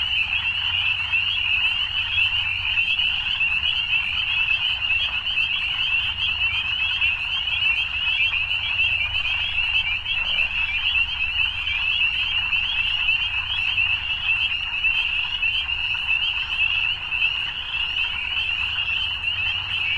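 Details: A continuous evening frog chorus, high-pitched and trilling, drones on unchanged for the whole stretch with no breaks or distinct single calls, a faint low hum in the background.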